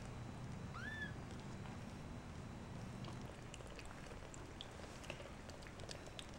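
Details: Shaded golden Persian kitten, one of a litter of four just over two weeks old, growing inquisitive about their nest: a single thin, high mew arching up then sliding down, over a steady low hum.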